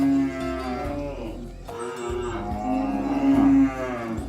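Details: Cow lowing while being herded with oxen toward the livestock barn, calling friends to the pen: one long, rich, harmonic moo through the whole stretch, dipping mid-way then swelling again to a strong finish.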